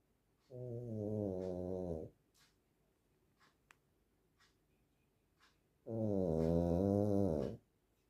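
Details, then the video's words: Dog snoring loudly in its sleep: two drawn-out, deep, buzzy breaths about five seconds apart, each about one and a half seconds long, with near silence between them. "песик храпит как мужик"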